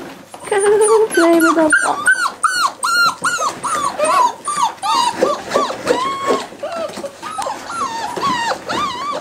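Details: Week-seven Cardigan Welsh Corgi puppies at play: a dense, overlapping chorus of sharp yips, bent whines and squeaky barks, many calls each second, with a low growl early and a human voice faintly behind.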